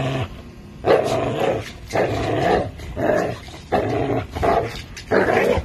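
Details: An American Bully and a Pitbull playing tug with a Tugmutt toy, growling in rough, harmonic bursts of about a second each, roughly five bursts separated by short quiet gaps.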